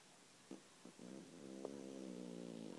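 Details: Deeply asleep, Guli the cat gives a couple of soft clicks, then a long, steadily louder snoring breath with a low rattling buzz and rich harmonics.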